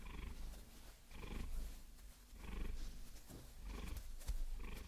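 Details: Steady purring from the Maine Coon Vasilisa as long nails massage her; deep pulsing rumble in breath-length waves, overlaid by light clicking and scratching of nails.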